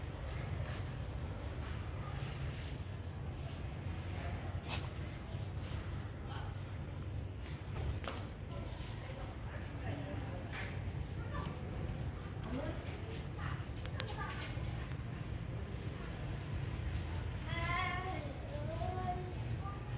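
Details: Kitten being given food, giving a few short harmonic meows that rise and fall near the end, over steady low rumbling background noise and a repeated high, thin chirping.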